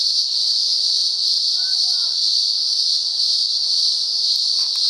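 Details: Cicadas calling in the upper Blue Mountains during daylight hours, a chorus going on and off for about a week: one steady, unbroken, high-pitched buzzing drone at even loudness throughout, with a faint brief sliding tone partway through.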